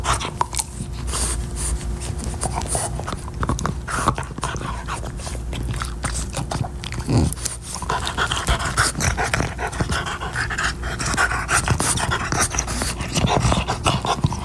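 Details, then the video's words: French Bulldog Max panting while chewing a beef-flavored Nylabone chew toy: dense, rapid breathy rustling runs throughout, broken by sharp gnawing clicks and scrapes, over a steady low electrical hum. "French Bulldog ASMR: Chewing Nylabone Beef Flavored Chew Toy"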